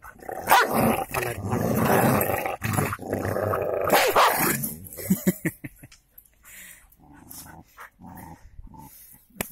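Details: Golden Labrador and cocker spaniel fighting: dense, harsh snarling growls and rough barks in a continuous burst for about five seconds, then a few short yelps and scuffles as the fight fades, with a person's voice nearby.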